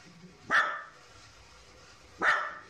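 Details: A female Kaninchen Dachshund, born February 2014, gives two sharp, separate barks announcing that the father of the household is coming home. She grows restless and starts barking about 30 minutes before he arrives.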